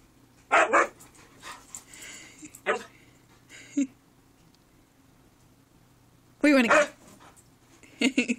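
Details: Indoors, the male pet Husky Shanuk insists on going upstairs with strained, harmonic yowls and bark-like bursts. One comes early, shorter ones follow, then a long rising-falling cry and a final outburst, with a low room hum beneath.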